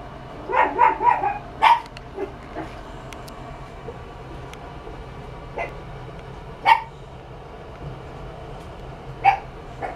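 A Chihuahua puppy gives a quick burst of high, sharp yips, then single barks spaced several seconds apart.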